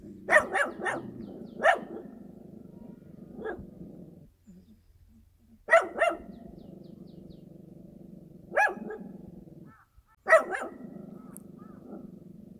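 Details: Dog in rural countryside giving sharp single and double barks spaced a few seconds apart, with a steady low background hum between barks.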